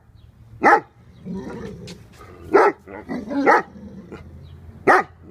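A Dogo Argentino gives loud, sharp, deep barks, spaced irregularly a second or two apart.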